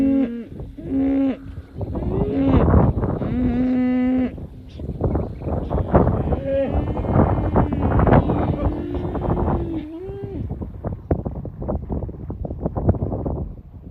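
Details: Cows in a herd give long level moos that overlap, while a broad rumble of noise and other lowing fills the background and fades toward the end.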